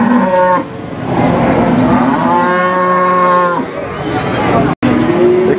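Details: Cattle moo at Warujayeng cattle market, 28 November 2019, where female cattle ready for breeding are on sale. A short bellow opens, then a long, level moo of over a second, amid voices and busy market background.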